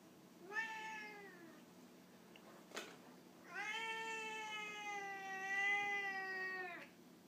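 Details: Two meows on a morning from a 2-year-old Birman cat in a quiet room: a brief call that bends downward, a faint click, then a much longer, sustained meow that holds steady and wavers slightly before dropping at the end.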